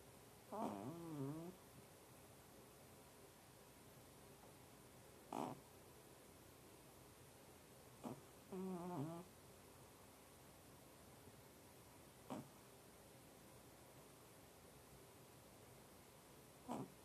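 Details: Sputer, a female cat, snoring while asleep. She had been twice as loud before recording began. Five short, irregular, rasping harmonic bursts spread over about seventeen seconds, each one wavering in pitch, with quiet breathing between them and no other sounds.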